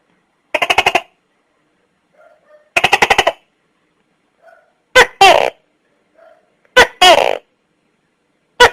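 A Tokay gecko gives rapid rattling bursts, then loud two-part barking calls, a sharp note followed by a longer one.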